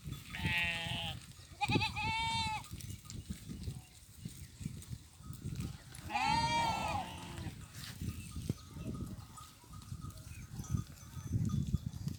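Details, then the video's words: Goats grazing with sheep in farm fields during mating time; two wavering, harmonic bleats near the start and a louder quavering bleat around six seconds, over steady low rumbling and trampling noise. "Sheep Goats grazing and mating in fields | Goats mating video"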